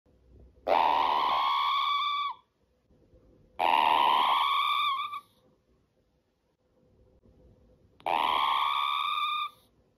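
A squirrel gives three drawn-out, whining squeals, each slightly rising and spaced about three seconds apart.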